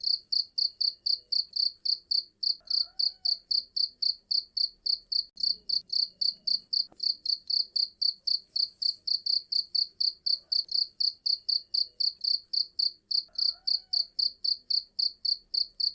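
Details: Continuous cricket chirping meant to chase off rats: piercing high-pitched pulses repeated at a regular fast pace of almost four per second, over a quiet background with faint occasional faint tones.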